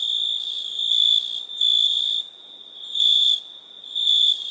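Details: Cricket calling at night in India, a piercing high ringing tone that bursts louder in pulsed phrases about once a second, then drops back to a quieter steady trill.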